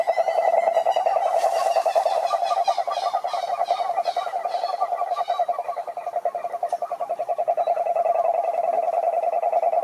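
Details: Toads croaking, males calling to attract females: a dense, rapid pulsed croaking at steady mid pitch, several callers overlapping continuously for ten seconds, with brief higher chirping notes layered in the first half.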